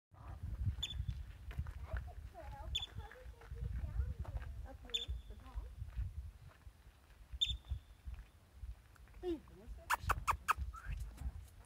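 A yellow-bellied marmot gives sharp, high chirps, one roughly every two seconds, over a low wind rumble.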